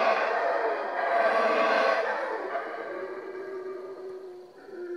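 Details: Howler monkeys howling at Yaxha, Guatemala: a loud, rough roaring chorus with rich layered tones that swells over the first two seconds, then eases into a lower, drawn-out moaning note that fades toward the end.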